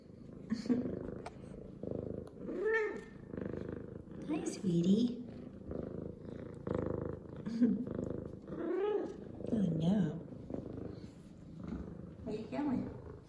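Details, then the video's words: Female F2 Savannah cat Zara, clean and excited after her morning shower, gives a series of arched, harmonic meows every two seconds or so over continuous low purring, indoors, with a woman's gentle talk in between. "Happy Excited Meows And Purrs From F2 Savannah Cat Zara!"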